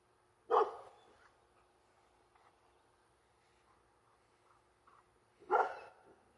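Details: Labrador Retriever barking at passing planes: two loud, sharp single barks about five seconds apart, separated by near silence with faint soft sounds.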